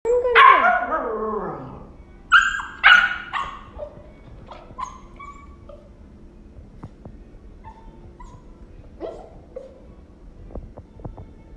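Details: Siberian Husky puppy, a male, barking at food time: a long wavering whine-like yelp, then sharp high barks near two and three seconds, fainter yips later, quiet room between.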